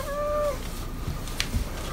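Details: Domestic cat meowing at feeding time while being called over to a new dish of tuna cat food; one clear level meow about half a second long, then clicks and bowl noises.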